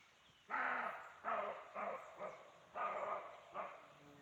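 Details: In forest near Chaumien, France, a roe deer gives a series of hoarse, dog-like barks, each about half a second long, believed to be a territorial or mating call.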